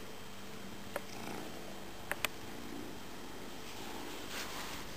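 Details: Cat purring indoors, one of the pair Tejko and Tigra: a quiet, steady low rumble held throughout, with a few faint clicks and small knocks near the one- and two-second marks.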